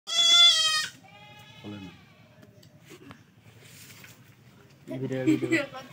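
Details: Male goat bleating during castration: a loud, strained, wavering bleat for about a second, a short cry near two seconds, then harsher bleats near the end overlapping Bengali speech and background music.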